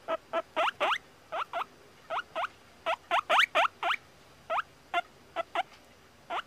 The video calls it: Guinea pig sounds, guinea pig squeaking